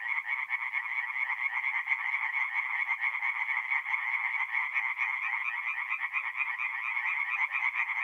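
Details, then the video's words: Tree frogs calling at night from a forest pond in North-East Italy in mid-April, many voices merging into a steady stream of quick rasping pulses, unbroken for the whole stretch. "relaxing forest pond by night with singing tree frogs"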